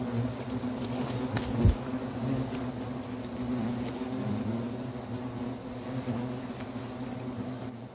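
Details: A huge hornet nest hanging in a cherry tree in a country-house garden is being removed with an expert's help. A dense, steady low buzzing drone of many hornets carries throughout, with one brief knock.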